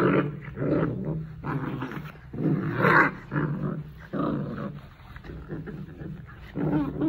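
A Rottweiler growls in deep, rumbling bursts, each swelling and breaking off every second or so.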